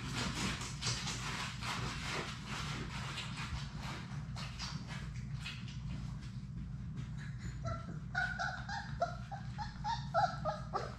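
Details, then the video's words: Six Labrador Retriever puppies, Sadie's litter, playing together in a puppy play room on a live puppy cam. Scrabbling paws and shuffling fill the first half, then short, high, tonal whimpers and yips come in quick bursts toward the end. "Labrador puppies at play!"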